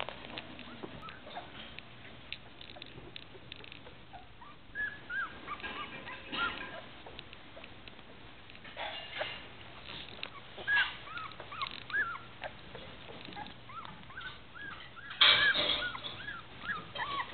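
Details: Newfoundland puppies, two weeks old, in a litter: many soft, short squeaky whimpers and peeping cries, some rising then falling, scattered throughout over a constant hiss and shuffling, with a louder burst near the end.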